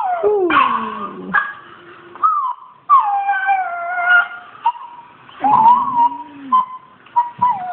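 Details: Australian Shepherd reacting to a Rottweiler puppy playing on screen: high wavering whines and short yelps, some sliding down steeply in pitch, broken by brief pauses.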